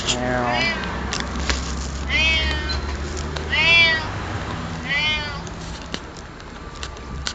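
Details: A fat cat at a Lawson store in October 2007 meows while being talked to; several rising-then-falling meows, about three clear ones, with a person's voice and background hum.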